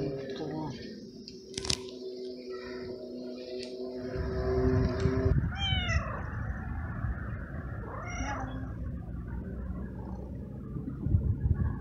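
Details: Very young male stray kitten living in a city garden, after eating: two clear arched meows around six and eight seconds over a low rumbling purr-like background, with a steady tonal hum in the first seconds.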